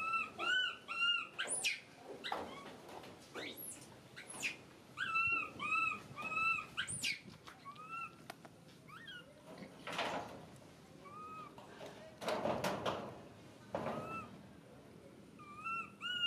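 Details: Crying and screaming from a baby monkey kept as a pet: shrill, wavering squeals in repeated clusters, often paired rising-falling cries, broken by pauses and loud rustling bursts.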